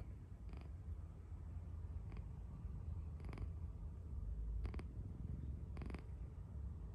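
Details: Sleeping cat snoring: a continuous deep, low rumble throughout, broken by a few brief crackling clicks.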